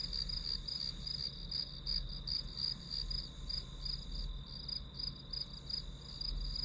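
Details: Grass insects calling as steady background sound for a one-hour study session: high, shrill pulsed chirps repeating about three times per second over a constant high ringing tone, with a faint low hum underneath.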